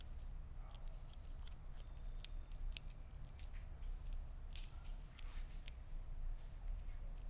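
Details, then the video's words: A Sphynx cat chews meat, giving quick moist bites and crunchy clicks every fraction of a second, with a quiet steady hum underneath. "Gato Esfinge Comiendo Carne"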